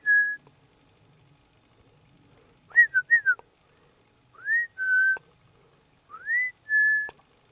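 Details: Marmot whistling in Liptov, Slovakia: a level note, then a quick cluster of three short whistles, then two pairs of rising slurred whistles each followed by a flat held note, spaced by short silences.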